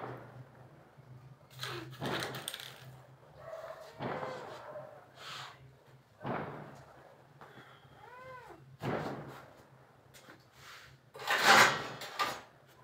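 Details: Kittens playing with bangles: short, arched, tonal meows rise and fall near the middle, mixed with sharp metallic jingles and clattering bursts from the bangles over a low steady hum.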